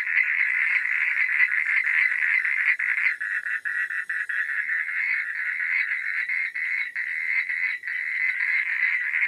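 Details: Frogs at night producing a thick, overlapping chorus of quick pulsed croaks, roughly three per second, with a few short dips in loudness.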